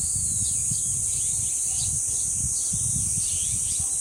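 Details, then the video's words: Cicadas singing at the dangsan of Deoksan village, a constant piercing hiss, with sweeping bird calls rising and falling above it and a low wind rumble throughout. "매미소리와 바람소리 그리고 새소리"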